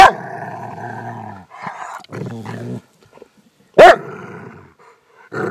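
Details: Pet Rottweiler bitch acting tough to impress her owner: a deep rumbling growl for over a second, short growling bursts, a pause, then one loud bark and a rising snarl at the end.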